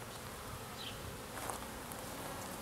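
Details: Western honey bees in an open hive being worked by a beekeeper on a cold day during spring management; a faint, steady, diffuse buzzing hum that holds evenly throughout.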